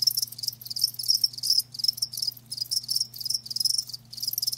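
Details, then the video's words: Loud, shrill cricket chirps from live crickets arrive in quick bursts of trilled pulses separated by brief gaps, with a faint low hum beneath. "Live Crickets 60min "Natural Sound""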